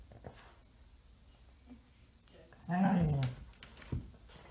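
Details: Female dog Gracie, indoors, trying without success to reclaim her bed from Pete the cat: one short, falling, tonal moan-like whine after a quiet stretch, with faint soft rustles and a dull thump near the end.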